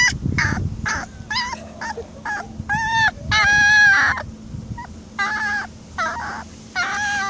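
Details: A week-and-a-half-old Alaskan Malamute puppy, said to be hungry, howls for the first time: high, wavering howls in short bursts, with one longer drawn-out cry.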